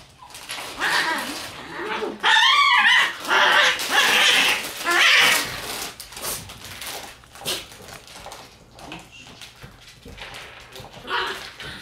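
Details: Red Shiba Inu male puppy born September 14, usually timid but acting bold here, giving strange high yelping and whining calls with harmonic, wavering tones in bursts around two to five seconds, then softer scattered yips and rustling.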